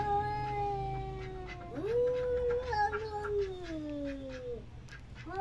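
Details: Domestic cat calling with long, wavering meows: a steady drawn-out tone, then a rising, prolonged wail that slowly falls away, lasting nearly three seconds; faint low hum underneath.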